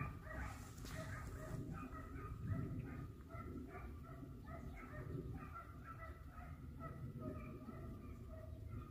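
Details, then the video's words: Several hare hunting dogs in Italy give chorused, yelping barks while on the trail of a hare that was flushed and sighted twice; dense repeated tonal cries continue across the clip, with a brief noise burst early and wind rumble. "Caccia alla lepre SCOVO LEPRE IN VISTA 2 VOLTE"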